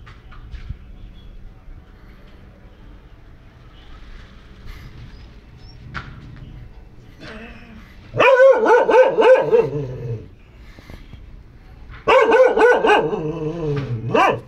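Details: Short-legged female dog giving two bursts of rapid, harmonic barking that run together, the first around the eighth second and the second near the end, after a long quiet stretch.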